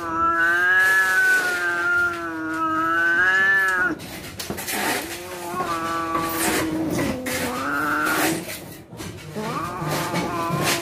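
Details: Cats on the verge of fighting give a sustained low moaning yowl that wavers slowly in pitch, breaks off, then returns in shorter bending wails over a rough background hiss.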